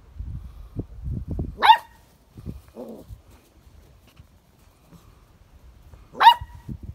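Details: A pet English Springer Spaniel barks twice, each a single abrupt yap about four and a half seconds apart, with soft shuffling and a brief muffled sound in the pause.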